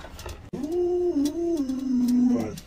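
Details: Alaskan Malamute Luoluo at home, while its owner jokes about stewing a puppy with garlic, ginger and chili; after a short pause, a wavering, sustained 'woo' howl that drifts gently down, with faint talking before it.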